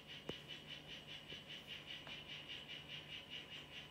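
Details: A mimic poison frog of the Chazuta form, kept in a terrarium, gives a steady trill. Short, high, buzzy pulses repeat about four to five times per second without a break, over a faint low hum and a few clicks.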